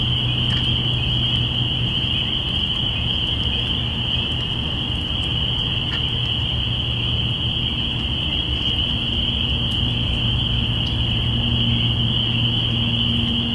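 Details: Spring peepers recorded binaurally on April 05, 2017, a chorus marking the beginning of spring: countless high peeps merge into one steady, shrill ringing wall of sound, over a constant low rumble.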